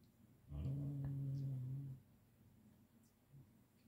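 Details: Male Siberian Husky, a pet, vocalising indoors while being petted, a habit of snarls, short growls and grunts; one low, steady rumbling growl lasting about one and a half seconds, followed by quiet room noise.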